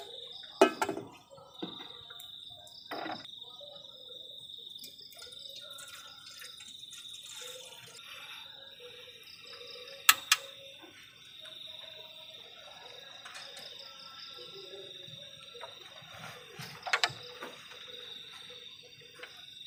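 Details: On a cold night at the forest edge, crickets keep up a continuous high, even trill for the whole stretch, broken by scattered sharp clicks and drip-like taps and a few louder knocks.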